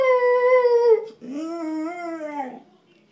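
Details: Pet dog howling while being talkative: two drawn-out tonal howls, the first long and slowly falling, the second rising then sliding down, with a clear harmonic ring and a brief gap between.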